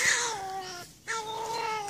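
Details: Pine marten in June 2016 telling off a Border Collie it has met. It gives drawn-out, wavering, nasal wailing cries, two long held notes split by a brief pause, loud and close.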